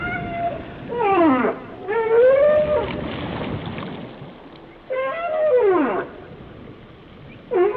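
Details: Whale song of long tonal moans with rich harmonics, each sweeping down or arching up and down over about a second, separated by quieter gaps, with a soft watery hiss beneath.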